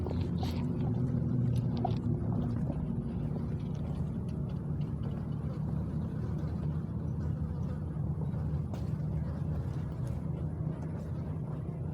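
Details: A steady, low engine rumble fills the recording, like a motor vehicle or boat, with faint clicks and no animal sound heard.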